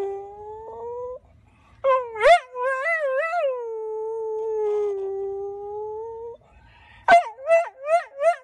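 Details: ['Male Golden Retriever pet letting out a wobbling howl that settles into a long level note, then breaking into a quick run of four rising yips at the end.']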